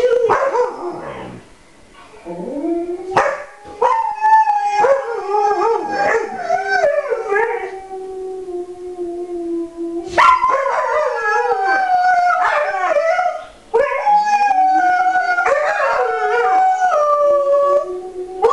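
Alaskan Malamutes howl together in long, wavering, sliding tones that rise and fall.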